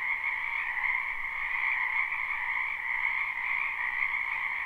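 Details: Croaking frogs of a spring wetland, many voices blending into one steady, pulsing trill chorus; live recording without looping, nothing else audible.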